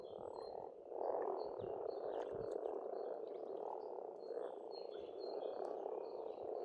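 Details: Frogs calling at a pond in Estonia in spring: a dense, continuous croaking chorus with pulsing swells, while thin whistled birdsong threads above.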